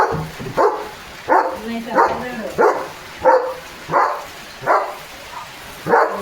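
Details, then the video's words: Pet German Shepherd named Leo, drenched and romping in a heavy downpour, gives loud harsh barks spaced about two-thirds of a second apart in a steady run, with a human voice in the background. "Leo The German Shepherd पावसात भिजत भिजत भुंकतोय"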